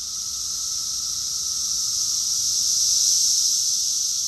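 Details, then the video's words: Cicadas in chorus, Rockville, Maryland, USA, recorded June 2021 in summer: a steady shrill hissing buzz that gradually grows louder over a few seconds. "Cicadas song || Cicada's chorus song"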